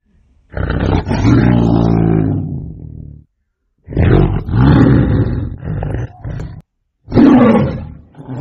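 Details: Tiger hunting a goat: three deep, rough roars, the first lasting nearly three seconds, the others shorter and broken, separated by brief silences.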